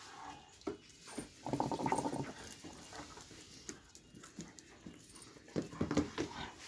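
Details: Doberman Pinscher indoors in a small room, giving short whining, grumbling vocal bursts with broad harmonics, loudest near the two-second mark and again toward the end, with faint human voices and room noise between.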